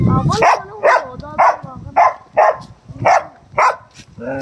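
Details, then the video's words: Angry dogs in a fight bark in loud, sharp bursts about twice a second, nine or so barks in a fairly steady run, with a voice audible underneath. "Angry Dogs barking | Dogs barking sounds | Dog Fight"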